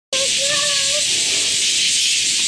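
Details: Japanese cicadas, known as semi, buzzing loudly on a morning as someone catches them by hand. A dense, unbroken hiss-like drone holds steady throughout, with music and faint tonal voice lines underneath.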